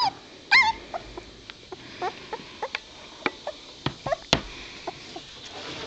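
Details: Two-week-old White Shepherd puppies from a litter: scattered short high whimpers and squeaks, brief and irregular, one louder upward-curving yelp near the start, with a quiet background hiss.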